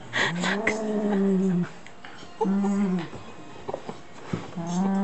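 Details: Shiba Inu dog indoors, switched into play mode while mouthing and tugging packing tape. Drawn-out, tonal growling whine in three bursts: a long one of about a second and a half, a shorter one, then a rising one, with small clicks between.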